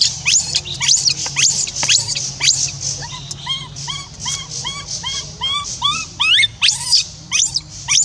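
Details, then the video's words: Left alone, the orphaned monkey Rainbow cries on and on to call back the one who left: sharp rising shrieks at first, then a steady run of short curved, whimpering notes repeated about twice a second. "Rainbow keeps crying till lose sound to call Libby back leave her stay alone"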